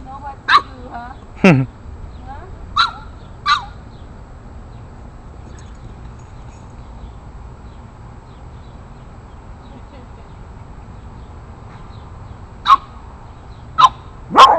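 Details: Rocky, an 8-week-old Boston Terrier puppy, takes on bigger neighborhood dogs with short, sharp, high yapping barks: four quick ones in the first four seconds, a long quiet stretch, then three more near the end over a low steady hum.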